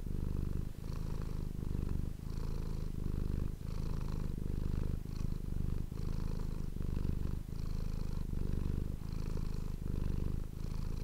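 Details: Purring house cat captured on an ASMR microphone; low, buzzing rumble in regular breath-length pulses, steady and unbroken throughout.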